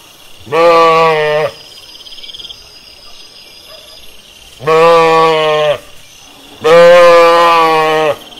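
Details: Bleating sheep in a pasture outdoors, three loud, drawn-out nasal bleats about one second each, spaced a few seconds apart, with quiet gaps and faint background hum between calls.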